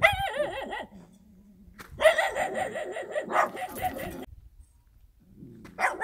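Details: Dog recorded in the countryside, a wavering, whine-like tone at first, then a dense run of loud overlapping barks after a short quiet gap, with another burst at the end.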